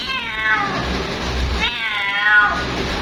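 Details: Two long, plaintive meows from a female cat calling her mate, the first slowly falling, the second starting higher and sliding down, against a dull background rumble.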